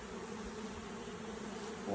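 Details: Brief, steady low hum of a honey bee swarm while it is smoked and shaken into a box, a continuous droning buzz rising a little in loudness at the very end.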